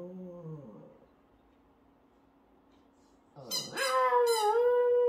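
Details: Shih Tzu puppy howling along with a baby: a faint low falling tone, quiet pause, then a loud wavering howl with high squeaky onsets that holds steady to the end.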